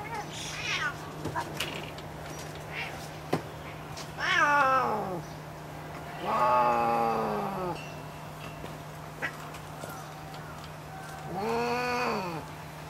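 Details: Captive female Pallas's cat at Saitama Children's Zoo, Japan, suddenly angry when a male tries to mate with her: loud, drawn-out, harmonic wailing calls that rise and fall, three main calls with shorter ones early, and a brief spoken phrase.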